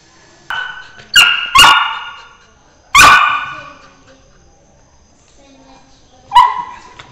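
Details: Labrador Retriever puppy feeling jealous as a beagle puppy gets pampered: a quick series of high, harmonic yips and barks in the first three seconds, then one more bark near the end; voices speak nearby.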